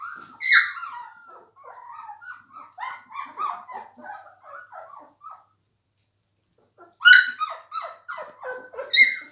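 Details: Whining Labrador Retriever puppies aged three weeks, indoors: a loud squeal, then a rapid series of short squeaky yelps, a silent pause of about two seconds, and another burst of high cries and squeals.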